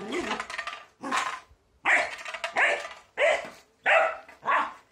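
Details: Border Collie battling a broom, barking in loud harsh bursts roughly every half to one second, some with a rough growling edge.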